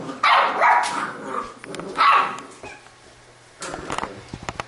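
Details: Labrador retriever puppies of a B litter at play; two bursts of high-pitched, rough barking about two seconds apart, then quieter scuffles and clicking of paws or toys.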